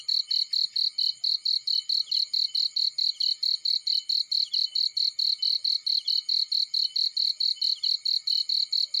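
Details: Crickets in a field give a persistent high trill of rapid chirps, around four to five per second, steady in loudness and rhythm from start to finish against a quiet background.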